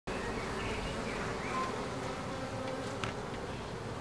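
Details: Bees in Ebersberg: a dense, steady buzzing hum of many insects fills the whole recording, with a few faint, short chirps of birds above it.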